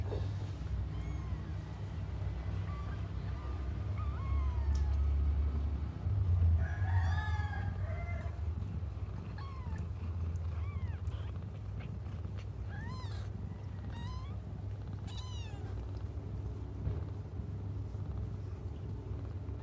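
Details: Young cats crying while they wait for their mother: thin, arched mews rising and falling, scattered irregularly through the stretch, some clustered near the middle, over a steady low rumbling hum.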